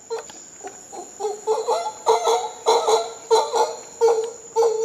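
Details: Howler monkeys calling in Costa Rica: rasping, throaty pulses come in quick succession, growing louder and more clustered. A continuous shrill insect tone sits in the background.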